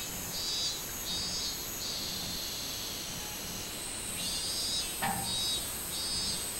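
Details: Minmin cicada on 24 July 2016, summer: bursts of arched buzzing pulses, a short pause mid-way, then the series resumes; a sharp click near the end and steady shrill insect background.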